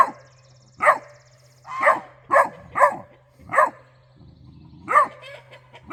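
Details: A Great Dane puppy tells off the guard geese for slacking while a raccoon may be getting into the bird feeder: seven loud, abrupt barks spaced roughly a second apart, steady low hum behind.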